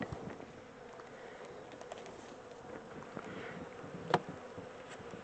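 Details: Buzzing of a caught honey bee swarm during its move from a temporary small box to a larger home; even, dense drone of many insects with one sharp tap toward the end.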